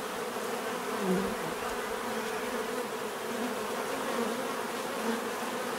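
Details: A swarm of bees hums in a continuous natural drone, swelling slightly as single bees fly nearer, then easing back into an even, layered buzz.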